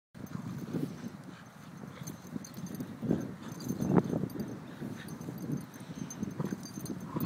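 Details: Two almost four-year-old Staffordshire Bull Terriers, one black and one brindle, playing tug together as close friends; steady low rumbling growls throughout, swelling into louder bursts around the third and fourth seconds.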